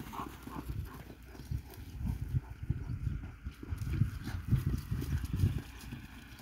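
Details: Kabardian stallion, born at the Atazhukino farm, moving so its hooves strike the ground in a run of dull, low thuds. The beats are uneven and close together, with a steady low rumble beneath them.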